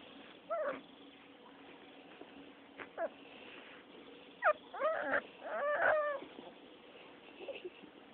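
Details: Rottweiler pups at six weeks old in rough play-fighting, giving clusters of high, wavering whines and yelps, loudest in a run of overlapping cries midway, then fading to a last small whimper.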